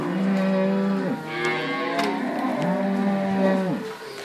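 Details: Cow from a mixed Inverland and La Florida herd in March 2014, some with calves, penned for one day. Two long, level, low moos come about a second and a half apart, each lasting just over a second.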